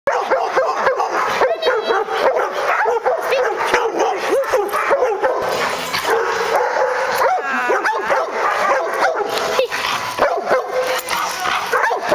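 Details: Two retrievers at play giving a dense, continuous mix of growly, yipping vocal sounds over the whole stretch, with brief rising yelps and scuffling noise throughout.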